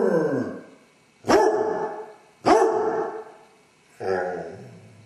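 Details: A Basset Hound left alone in the house with separation anxiety gives loud, mournful baying howls, each breaking off and repeating about every second, while pacing, whining and barking after the owners leave.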